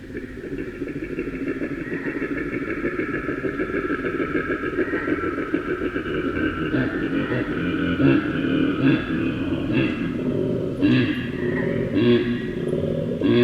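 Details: A male koala (Phascolarctos cinereus) bellows in a long, deep, rasping series of harsh grunts, like a rumbling engine.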